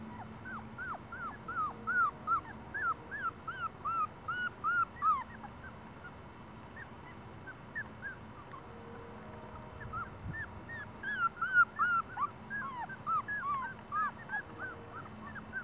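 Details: Celosia's puppies whimper in rapid bursts of high, bending squeals, several per second, grouped into two long runs separated by a quieter pause, with a steady electrical hum beneath.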